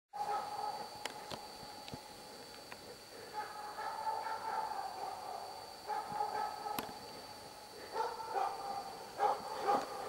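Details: Hunting dog baying at a moose cow and two calves at Båthussjön, Huskölen, 2008, holding three moose at bay; distant, fairly tonal barks come in short bursts and bouts, partly drawn out, over a quiet forest background.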